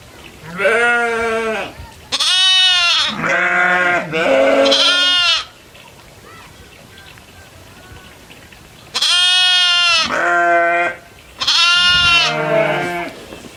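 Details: Farm goats herding and grazing in fields with other livestock bleat repeatedly: a burst of four or five wavering, nasal bleats, several seconds of quiet, then another cluster of three loud bleats.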